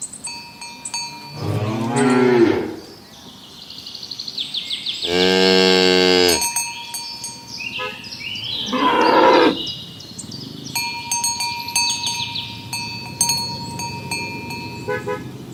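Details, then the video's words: Morning on village roads as tame cows are driven toward their pen: three drawn-out lowing moos, the middle one loudest and longest, spaced several seconds apart over steady bell-like ringing and scattered bird twitters. "Herding tame cows in the morning towards the pen, the sound of cows mooing"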